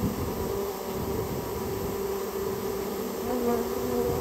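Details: Japanese honey bee colony nested inside a storehouse, being removed: a steady, even droning buzz with a low hum and clear overtone bands, holding the same level throughout.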